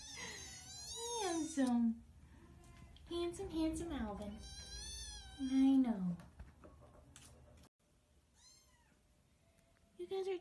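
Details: Indoor house cat giving three loud, descending meows spaced roughly two seconds apart, each sliding downward in pitch, with soft human speech between them and a brief high mew near the end.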